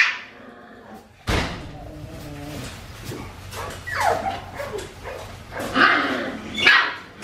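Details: A litter of Australian Shepherd puppies, four weeks and five days old, at Fifteen Acre Farms: a sudden onset of noise, then falling whines and high squeaky yelps toward the end.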